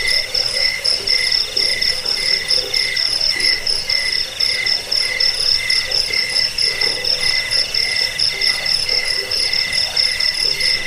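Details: Crickets in a dense chorus offered as a sound to repel rats, aid sleep and train songbirds: rapid pulsed chirps stacked in several high, steady bands, overlapping continuously without pause.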